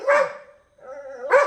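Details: Pet Labrador Retriever at home gives a short sharp bark, then a drawn-out steady whine, then another bark, all within a second and a half.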